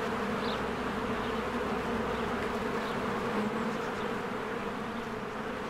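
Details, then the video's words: Honeybee swarm at a hive in spring, a constant layered drone of wingbeats; faint high chirps of a bird surface briefly through the hum. "1 Hour of a Beehive ASMR"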